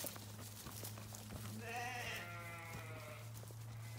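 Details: Sheep bleating: one long, wavering, harmonic bleat rising in the middle and fading slowly, over a steady low mechanical hum and light clicking noise.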